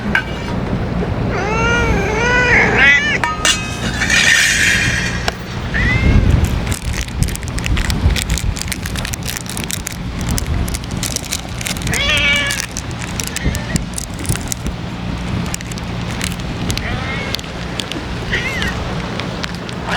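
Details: Stray ear-tipped cats gathered for feeding in strong wind; repeated harmonic meows early on, more mewing around twelve and eighteen seconds, with rustling, clatter and steady wind rumble.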